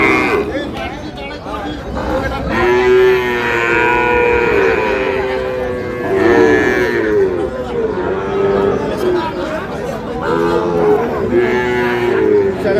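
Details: Sahiwal bull calves at the opening of trading at Ambari cattle market, Dinajpur, Bangladesh, on 11 May: after a quiet start, drawn-out, nasal moos rise and fall in overlapping bouts from several animals, over murmuring market voices.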